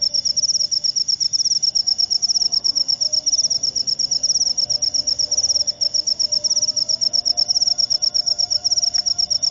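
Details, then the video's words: Cricket, known locally as jangkrik upo, giving a high, shrill pulsed trill that runs steadily without a break, with each pulse rapid and evenly spaced. A faint low hum lies underneath. "Jangkrik upo"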